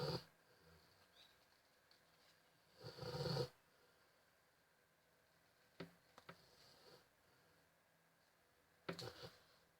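A sleeping Rottweiler snores in rough, breathy rasps that come every few seconds in a quiet room.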